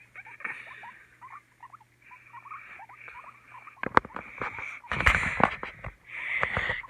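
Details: Pet guinea pig, one of a pair that have been fighting; a run of short upward squeaks, then rustling and bumping handling noises with more squeaks.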